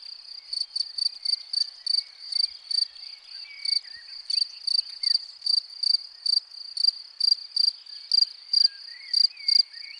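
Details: Field cricket at its burrow chirping loudly and clearly: short high buzzy chirps repeated about twice a second, sometimes in quick pairs, over a faint steady trill and distant soft bird whistles.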